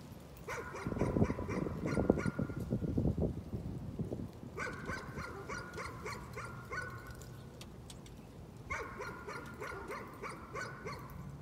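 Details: Dog caught in a nuisance barking episode: three bouts of rapid, sharp repeated barks, each lasting a few seconds, with a loud low rumbling noise beneath the first bout.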